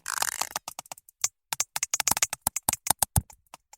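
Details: Sperm whale recording from the Dominica Sperm Whale Project: sharp, crackling clicks in quick, uneven rapid-fire bursts, likened to aggressive popping Rice Krispies.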